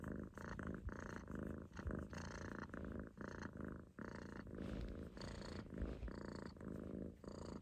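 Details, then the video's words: Close rumbling snore of a relaxed Munchkin kitten sleeping in a loaf on its owner's stomach, purr-like bursts repeating about twice a second with brief breath gaps. "飼い主のお腹の上でいびきをかく猫 On my stomach Kitten relaxed snoring sit in a loaf sleep"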